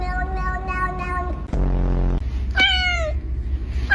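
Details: Cat sounds: a steady held tone fading out, a short buzzing low noise, then one clear meow sliding downward in pitch, with low background hum throughout.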